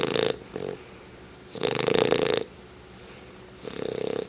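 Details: Chubbs, a pet English Bulldog, asleep and snoring loudly: rough, buzzing snores with a steady low drone, long bursts about two seconds apart separated by quieter breaths.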